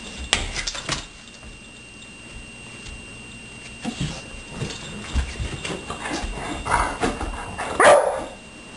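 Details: Two pet dogs, Blue and Suri, romping indoors; Blue holds one leg up and refuses to use it. Scuffling bursts and short yips come in irregular clusters, ending in a louder, higher whine.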